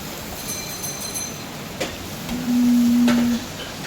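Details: Indian Jersey cow on a dairy farm, shown at milking, gives one low, steady, level moo lasting about a second, amid background hiss and faint clicks.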